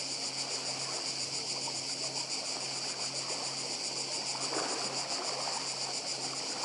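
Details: Croatian island of Badija: cicadas keep up an intense, even, high trilling drone with rapid pulsation, layered over the gentle, steady murmur of the sea.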